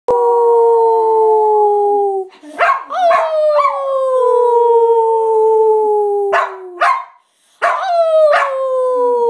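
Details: Pet dog after three years learning to howl, answering a person's howl with her own instead of barking: long smooth tones that slide slowly downward, broken by short sharp yelps and barks near the middle and end.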